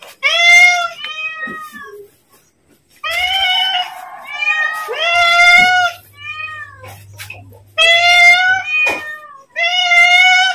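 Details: Domestic cat calling to be fed as its owner prepares food; a series of clear, harmonic meows, some drawn out and others short, with pauses between them and a faint low hum beneath.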